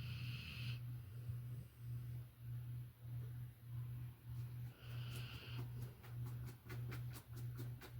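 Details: Violet the Labrador Retriever snoring in her sleep: rhythmic low rumbling breaths, a short airy hiss early and midway, and a run of faint quick clicks near the end.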